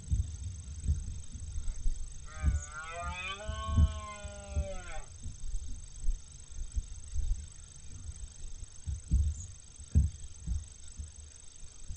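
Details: Red deer, a 14-point stag, recorded on 18 September 2020, gives one long, hoarse, harmonic roar of about two and a half seconds that wavers then drops at the end, amid low rumbling noise and occasional thumps.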